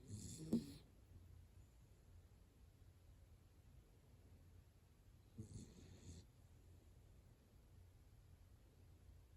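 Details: Sleeping dachshund named Hana-chan, deep in slumber with old-man-like snoring; two short, soft rasping snores about five seconds apart, separated by quiet breathing hush.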